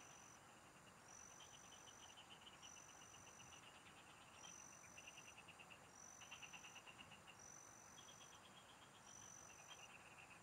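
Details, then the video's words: Several frogs sing in farm fields while someone fishes: bursts of fast, rattling pulses overlap and alternate every second or two, backed by repeated high, drawn-out insect whistles and a steady hiss. "Pikinggan mo Ang MGA huni Ng MGA Palaka SA bukid| Relaxing Frog Singing"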